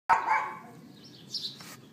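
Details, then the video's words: A neighbour's dog left outside for about twenty minutes, recorded on an iPhone 4S at 11:31 in the morning on April 18th, 2012. A single sharp bark opens the clip, followed by faint distant background sounds. "Dog Yapping"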